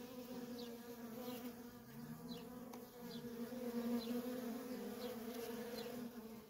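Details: Worker honey bees in nonstop traffic at a feral colony, a steady droning hum with a low fundamental and a clear overtone, slightly wavering in loudness, while faint short high chirps of small birds drop in now and then.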